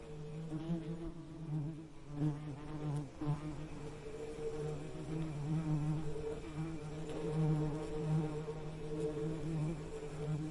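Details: Sustained bee buzzing, a deep droning hum with bright harmonic overtones that shift slowly in pitch and loudness across ten seconds, no other sounds beyond soft hiss.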